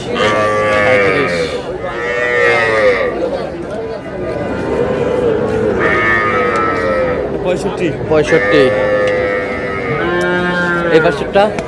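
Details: Sahiwal bull calves at a cattle market where a Noakhali farmer is buying, 24 February '26; several drawn-out, harmonic moos rising and falling, around three clear calls spread over the stretch, with crowd chatter and voices underneath.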